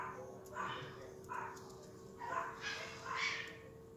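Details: Two Yorkshire Terrier puppies, babies of Vern, a silkie coat Yorkie, give four short squeaky whines spaced about a second apart, each swelling then fading, over a steady low electrical hum.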